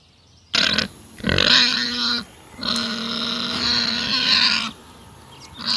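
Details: Pig in a forest setting, squealing in long, strained, strongly harmonic cries of one to two seconds, three in a row with short pauses, loud and close.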